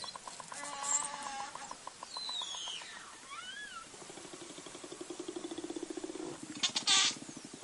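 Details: Belugas, the canaries of the sea, from the Arctic: rapid buzzing pulse trains, gliding chirped whistles sweeping up and down, and a loud squeal near the end, recorded underwater.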